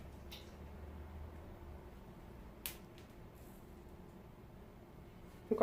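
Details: Indoor room with faint low hum, a couple of soft clicks or snaps, and a brief louder noise at the very end; no clear animal voice.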